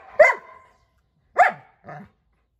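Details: A dog gives two sharp, loud barks about a second apart, then a softer, lower, gruff note. The background is otherwise silent.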